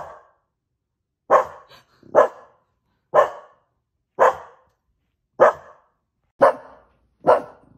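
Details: Household dogs barking at the television: loud, sharp, gruff barks, seven strong ones spaced about a second apart, with a softer bark at the start and a faint extra yelp between the first two.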